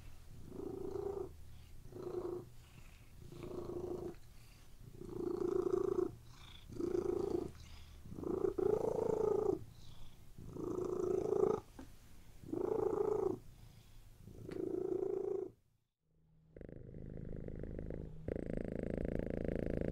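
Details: Cat lying on a bed purring steadily for about fifteen seconds in regular pulsing breath cycles, then a brief silence and a change to a different, broader background sound near the end.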